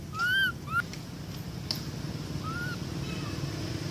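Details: Young monkey Amara calling for its mother: two loud, arched whistled cries in quick succession, then a softer, shorter wail, over a continuous low background hum.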